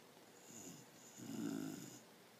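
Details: Sleeping female dog snoring on a couch indoors; one soft low rasping breath then a louder, longer rumbling snore lasting about a second, quiet room around her.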